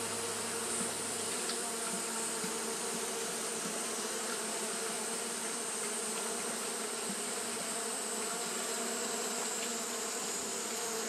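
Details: Steady droning buzz from Japanese honey bees fanning nonstop on a hot day, level and continuous, with a brief low hum at the start and an ongoing high-pitched hiss overhead.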